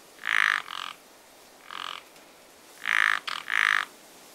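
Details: A pond frog in spring giving strong, buzzy croaks, usually in quick pairs, about six in total with brief pauses between groups, against quiet surroundings.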